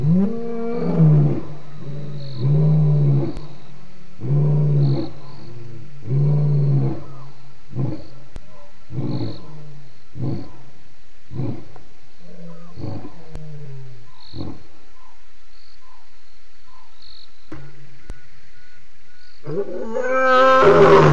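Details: Lion roaring at Djuma waterhole on 28 October 2016: a loud series of deep, grunting roars, each a low moaning pulse repeated about every one to two seconds, tapering into shorter grunts, then a brief noisy burst at the end.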